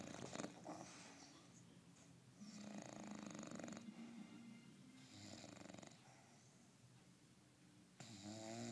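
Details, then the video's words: English Bulldog taking a long nap, snoring in a quiet room; hoarse, rattling snores come in bursts about a second long, repeated roughly every two and a half seconds with soft breathing between. "English Bulldog snoring"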